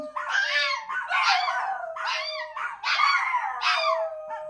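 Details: Chihuahuas and a Min Pin howl in chorus: about five swelling bursts of quavering, overlapping voices with bending pitches, over a sustained steady tone that carries through the gaps.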